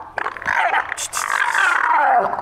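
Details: Two black leopard brothers fighting for dominance; a harsh, rasping snarl rises abruptly, holds for about two seconds with a strained, wavering tone, then slides downward and fades.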